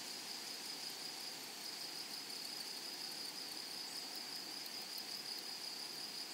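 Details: Grasshoppers in a flowery meadow or prairie produce a steady, high, unbroken shrill buzz that holds one even pitch throughout, over a soft hiss of background chirring.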